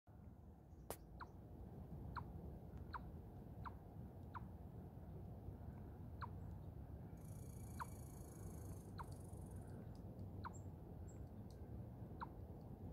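A chipmunk gives sharp, high chips, repeated steadily about once a second over a low rumble.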